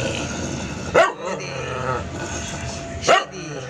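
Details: Shady, a pet doodle poodle, gives two sharp, loud barks about two seconds apart, each a short burst, with a person's soft voice and quieter dog sounds between them.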